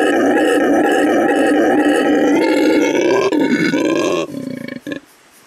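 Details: Male red howler monkey, La Senda Verde Animal Refuge, Bolivia: a continuous rough roar that turns into choppy grunting pulses after about three seconds, then fades into quieter broken grunts and falls silent.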